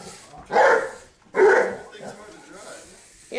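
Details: Seven-month-old English mastiff named Dozer chases a remote-controlled buggy car around the house. Two heavy, deep barks come about a second apart over low background chatter.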